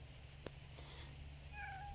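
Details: An indoor pet cat, whose owner worries it dislikes its canned food, answers with a brief, level, tonal meow at the close, after a soft tap, over constant low-pitched hum.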